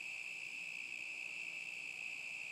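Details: A summer 2010 cricket chorus holds one constant, shrill ringing tone that never pauses, with thin upper overtones and no other clear sounds.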